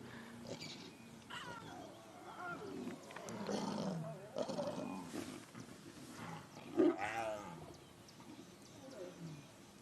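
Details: Lions growl and snarl in rough, overlapping bursts on a sunrise drive, 26 October 2016, as the Nkuhuma females and cubs fight over a buffalo kill and its tail, adults intervening to reprimand; one sharper snarl, faint human voice: lion.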